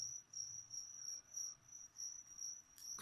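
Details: Feeder crickets for a leopard gecko give a thin, high trilling chirp that swells and fades in short pulses about once a second, with a brief rustle near the end.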